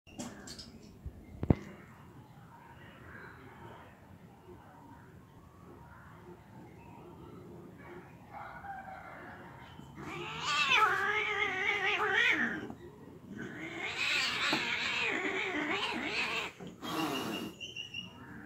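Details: Angry cat fighting: after a quiet start with a sharp click, long wavering harmonic yowls swell between ten and sixteen seconds, rising and falling in pitch with a harsh, strained edge.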